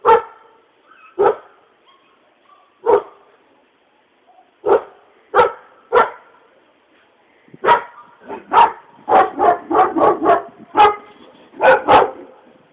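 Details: Barking dogs from Bulgaria, sharp single barks spaced a second or more apart at first, then quickening into a dense run of rapid overlapping barks, ending with a few louder separate ones.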